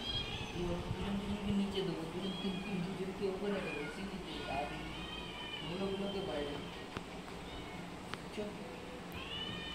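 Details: Several of 22 hungry house cats demand food in the afternoon, fed fried fish with rice; short, overlapping wavering meows follow one another rapidly over steady human talking and low household hum.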